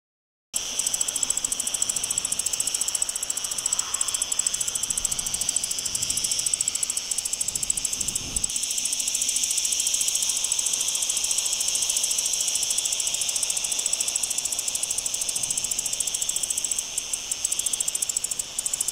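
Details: A male Mediterranean wart-biter (Decticus albifrons) sings a steady, high, rasping buzz of rapid ticking pulses, recorded 9 July 2022 in the Sierra Nevada, Andalucia, Spain.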